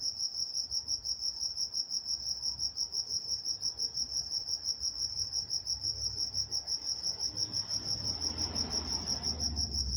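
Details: Crickets calling at night in Walnut, California, a high, rhythmic chirp at close to three pulses per second, while a low rumbling noise swells toward the end.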